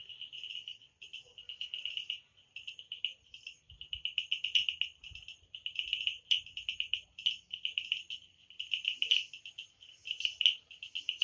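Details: Night-time frog calls in the Amboli hills forest, Sindhudurg: almost continuous high-pitched pulsed trills in short trains, one after another, with brief gaps and a few louder clicks.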